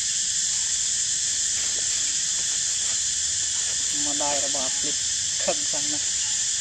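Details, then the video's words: Baby monkey Edison, nine days after birth, alert and energetic in a park, gives short harmonic squeals in quick clusters near the end, set against a loud, steady high-pitched hiss throughout. "Edison baby so so alerted & energetic / Nine days of birth baby Edison seems better"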